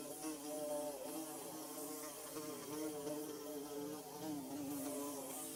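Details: Bees buzzing while building their nest: a steady, droning hum with layered wavering tones that rise and fall slightly as several insects hover together, a faint hiss above.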